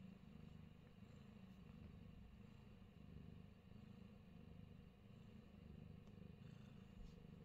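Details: Fat Boy, a Himalayan Persian cat in New Zealand, purrs quietly: a steady, low, fluttering rumble that holds without a break, with faint soft clicks and background noise above it.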